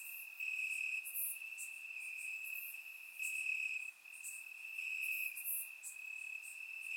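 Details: Crickets chirping in grass on a warm summer night in Bulgaria, recorded with a surround microphone: a steady high trill holding one pitch throughout, joined by brief higher chirps from other insects in a dense, continuous chorus.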